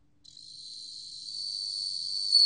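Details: Steady, shrill ringing trill of a bell cricket, rising gradually in loudness over a couple of seconds; a 2020 recording from the National Institute of Biological Resources.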